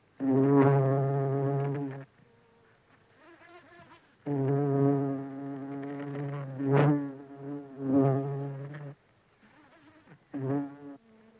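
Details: Close-up buff-tailed bumblebee (Bombus terrestris) feeding from flowers, giving loud, low, droning buzzes in bursts of about two and five seconds with quiet pauses between, plus a short final burst near the end.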